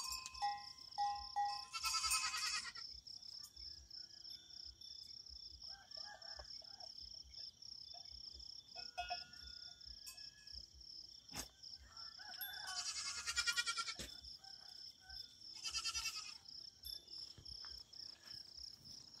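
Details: Big goat at rest, three short buzzy quavering bleats spaced far apart, set against a steady high whine and soft clicks.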